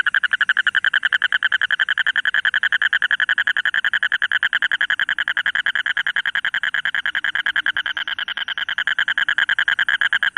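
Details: Toad giving a crackling call: a loud, rapid, steady rattle of clicking pulses, about three or four per second, continuing without a break for the whole stretch.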